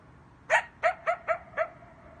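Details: At night, a coyote gives five short, clipped barks, one roughly every quarter second. Each is sharp and slightly rising with ringing overtones, and a faint tonal trail lingers after the last.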